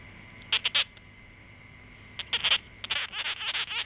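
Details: Young male sugar glider born August 2009, kept as a pet-shop animal; three sharp, bright chattering bursts early on, then after a pause a denser run of raspy, clicking high-pitched pulses that grows louder toward the end.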